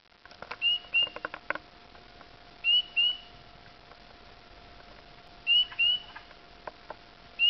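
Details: Spring peepers calling on a dark evening, April 5, 2010, on backroads of Dowling near Sudbury, Ontario, Canada, early in an unusually warm spring: clear high, short upslurred peeps, often in quick pairs, repeating every few seconds over a faint steady hum.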